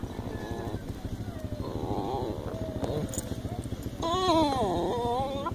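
A Basenji gives a wavering, howl-like call that rises and falls, over rhythmic background music.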